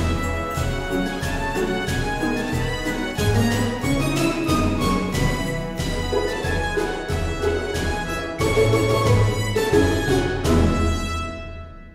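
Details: Orchestral music with bowed strings plays steadily throughout, with no animal sound heard.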